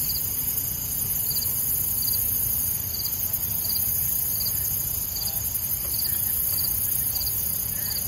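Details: One-legged red-legged grasshopper recorded on 15 September 2019, making short, high, dry ticking bursts repeated roughly every 0.7 seconds, over steady hiss and low background rumble.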